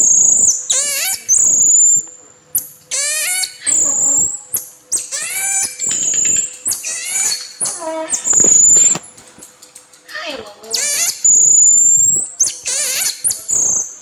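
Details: Marmoset giving loud, shrill squealing calls: sweeping high whistles and harsh rasping bursts in uneven clusters with short pauses between them.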